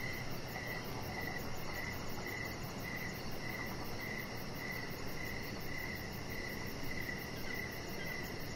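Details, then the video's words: Evening crickets heard from a deck with a chihuahua puppy resting; bright, high chirps repeat at an even pace, roughly two per second, against persistent broadband noise. "3 Hours Of Chihuahua Puppy Laying On Deck with Cricket Sounds"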